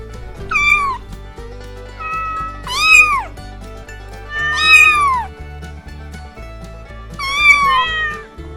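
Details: Four arched meows from a cat, each climbing briefly then sliding down, repeated every couple of seconds over a continuous musical backing with bass.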